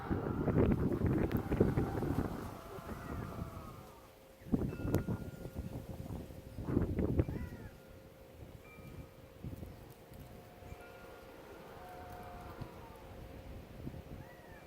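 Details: Bobcats give harsh, wavering yowls and rough growls in bursts, with wind rumbling over the microphone; the recordist can't tell if they are mating or arguing, and finds the sound scary, louder in person.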